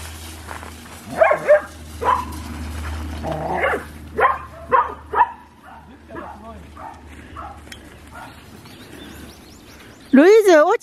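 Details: A collie playing a chasing game on 23 June 2021 barks in a quick, uneven run of sharp yaps through the first five seconds, which thins to softer sounds before a loud wavering human voice at the end.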